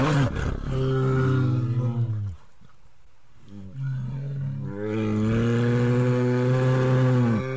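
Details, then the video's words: Himalayan brown bear from India giving two long, deep, tonal roars, each held for about two seconds and bending downward at the close, separated by a quieter breathy pause. "Himalayan Brown Bear 🐻 - ROAR!"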